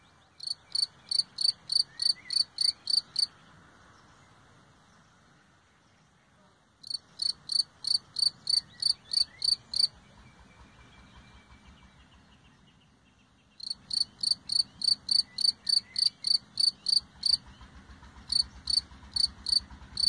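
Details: A single cricket chirping: bright, high pulsed chirps repeated about three times per second in bursts of roughly three seconds, separated by pauses of a few seconds, over a faint low background hum.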